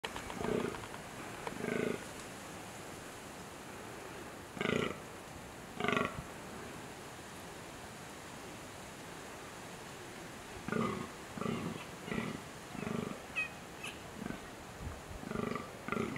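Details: Deer in rutting season give short, hoarse, grunting bellows in irregular bursts, some in quick series of four or five, over a steady background hiss.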